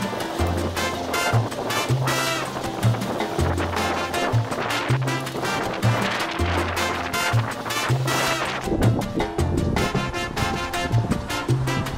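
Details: Upbeat music with a steady bass rhythm and dense percussion fills the whole stretch; no animal voice can be picked out.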